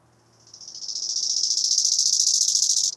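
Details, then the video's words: One phrase from a bow-winged grasshopper (Chorthippus biguttulus), Hanfeld, Germany, 19 September 2021: a rapidly pulsed rasping buzz lasting about 2.5 seconds, climbing steadily in loudness before cutting off sharply. "Chorthippus biguttulus -- Nachtigall-Grashüpfer -- Bow-winged Grasshopper"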